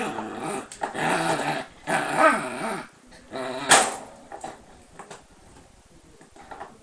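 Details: Mischievous Shiba Inu kept behind lattice: long rough growling grumbles in several stretches, mixed with a sharp yelp-like bark near the middle, in a small indoor room.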